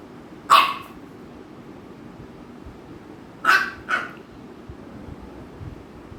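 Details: American Bully pair Ami and Mikku, Ami bothering Mikku; one sharp bark, a pause of about three seconds, then a quick double bark.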